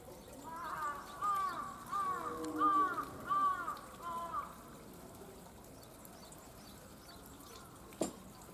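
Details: At Tama Zoological Park in Tokyo, Japan, a captive snow leopard utters a quick run of about six arched, tonal yowls in under four seconds, then falls silent, with one sharp click near the end.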